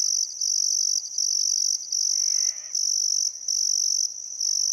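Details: Still summer sunset by the Barcoo River, Welford National Park, Outback Queensland: crickets give a shrill, steady chirping trill broken into long bursts by brief pauses. A short, rough bird call rises in the middle.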